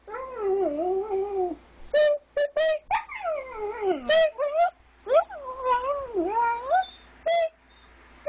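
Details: Geno, a pet dog, sings first thing in the morning while it is still dark, prompted by a person's singing; long wavering howls slide up and down in pitch, broken by short bursts of human voice.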